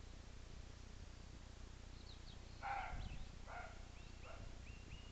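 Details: Roe deer bark: two rough, harsh barks in quick succession, with faint whistled bird calls before and after and a low constant hum beneath.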